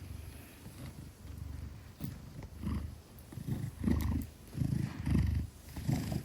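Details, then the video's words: Heavy Maine Coon Gelic purring contentedly while cradled in arms; a steady low vibrating rumble rises and falls with breathing, growing louder toward the second half, little else audible. "10 Kilograms of Pure Purrs: Gelic in Safe Hands"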